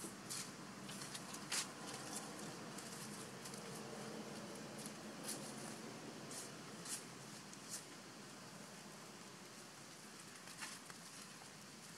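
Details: Steady hiss of room noise fills the recording, broken only by a few faint sharp taps and clicks, with no animal call standing out.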